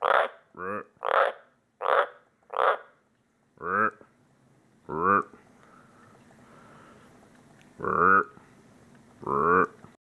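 A White's tree frog gives a series of short, deep, rasping croaks, repeated in bursts.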